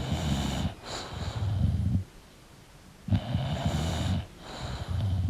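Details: A sleeping English bulldog snores in two deep, rattling bursts, each with a hissy breath, separated by a quiet pause of about a second.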